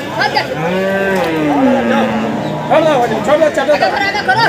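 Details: Water buffalo at a livestock market, giving birth to a female calf in difficult conditions: a long, low, drawn-out moan slowly falling in pitch for about two seconds, followed by people talking and chattering nearby.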